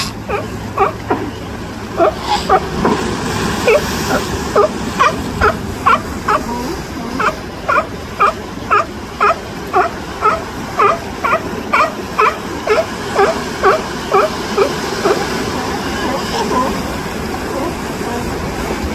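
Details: Curious baby California sea lion in the wild in California, calling while looking around: short harmonic bleats repeated in a steady run, roughly two per second, over a constant rushing background noise.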